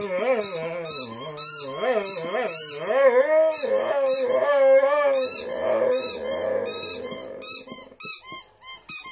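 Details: Rescue Saluki x Greyhound dog singing along to a squeaky ball. Wavering, yodelling low howls rise and fall in pitch over rapid, high, repeated squeaks from the toy. The howls fade into growly notes near the end.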